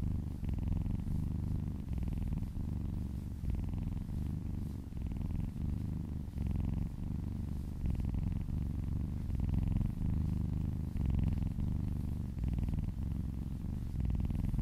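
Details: Massaged cat purring in a steady low rumble, rising and falling with its breathing in regular pulses roughly every second and a half.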